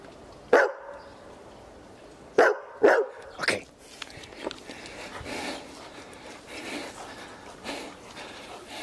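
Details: Berger Picard sheepdog barking in an irregular run: a bark, a pause, then three quicker barks close together, fading into softer, muffled barks and background noise.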